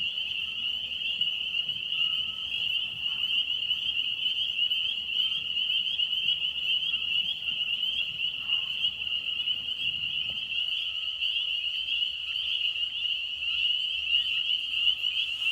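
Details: Frogs whose calling sounds like a car alarm, a dense continuous high trilling chorus holding steady throughout, with a faint low rumble fading out about two-thirds of the way in.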